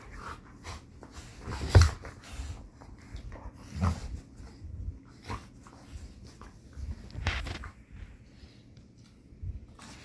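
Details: Two dogs, a Belgian Malinois and a Pitbull, playing rough together in a small room; low grumbling growls and sharp snorting huffs come in irregular bursts, with panting breaths and scrabbling of paws between them.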